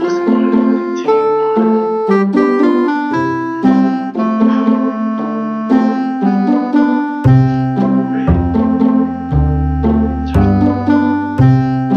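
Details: Electric piano music plays throughout in steady chords and melody, without any animal sound.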